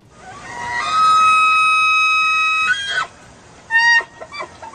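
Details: A bull elk gives his mating-season rut bugle, a clear high whistle that climbs and holds for nearly two seconds before cracking off. A brief second whistled note follows, over faint background hiss.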